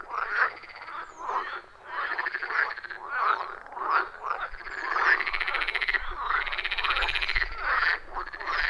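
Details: Frogs chorusing at a wild forest pond, recorded by iPhone 14 Pro with Shure MV88+: steady overlapping croaks with rasping pulses and drawn-out arching notes, faint low rumble toward the end.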